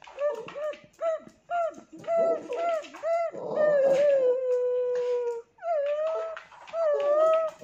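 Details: Tibetan Terrier pet dog giving a series of short, wavering whined notes, then a long, steady howl held for about two seconds that slowly falls, followed by more bending, whining tones.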